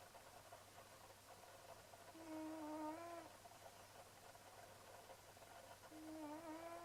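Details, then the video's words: Sleeping cat Leonardo snores softly, each breath a thin, slightly wavering whistle lasting about a second, two breaths spaced some four seconds apart against a low indoor hum. "Kitty Leonardo snoring away."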